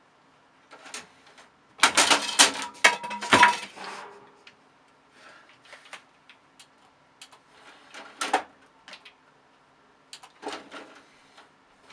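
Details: Indoor clattering and tapping, with a loud burst of rattling like falling objects near the start and scattered clicks afterward, and no animal calls.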